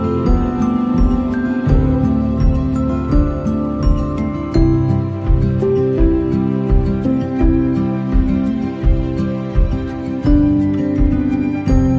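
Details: Gentle instrumental music with a steady plucked rhythm and sustained low tones, with no animal sounds audible.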